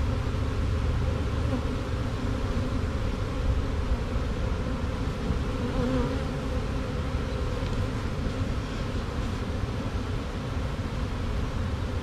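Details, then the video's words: Honey bee swarm, caught by shaking a tree branch and holding two queens, marching over drywall into a box; a steady, dense droning hum runs unbroken throughout with a heavy low rumble beneath it. "Classic Honey Bee Swarm marching in the box"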